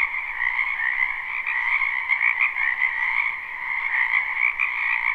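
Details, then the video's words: Frogs croaking together in a wetland during spring, a live recording: steady, pulsing trill of overlapping voices holding a high band and a lower one throughout. "Ambient Noise for Sleep Frogs"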